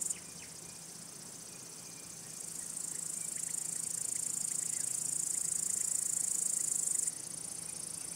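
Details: Crickets, males singing by rubbing their elytra to draw in females, court them, or scare rival males: a continuous thin, high-pitched buzzing trill that grows louder midway and then cuts back near the end.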